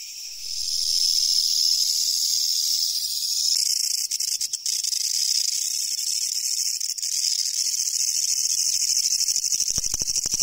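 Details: Japanese leaf katydid, endemic to Japan, with an intense rasping buzz held high throughout. Brief dropouts and clicks come midway, and crackling handling noise follows near the end.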